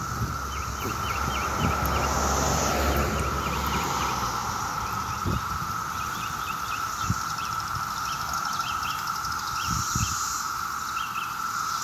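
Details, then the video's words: Maryland summer day with 17-year cicadas out in mass numbers, their loud unbroken drone filling the street, while small birds chirp in quick clusters and traffic murmurs low. "The 𝗿𝗮𝗿𝗲 sound of 17-YEAR CICADAS!!"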